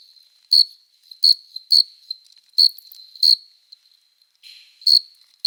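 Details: Male crickets singing on a summer night, wing-rubbing courtship song: shrill high chirps at irregular half-second to one-second intervals, a brief lower rustle midway, steady faint trill throughout.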